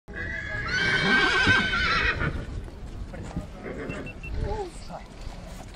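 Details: A mare at Satu Mare gives a loud, bright whinny lasting about a second and a half, then fades out. People talk nearby.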